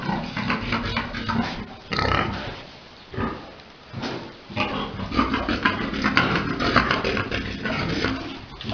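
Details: Pigs on a farm during breeding, a big boar mating a sow; dense, rough grunts and snorts overlap irregularly, with louder bursts near two and five seconds and a constant noisy pen background.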